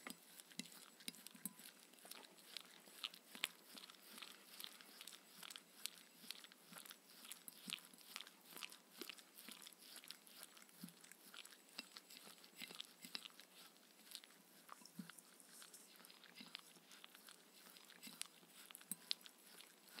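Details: Mindy the Shetland Sheepdog eats her evening raw kangaroo meal with coconut oil inside a small room; continuous crunchy mastication with sharp bite clicks several times a second, no talking.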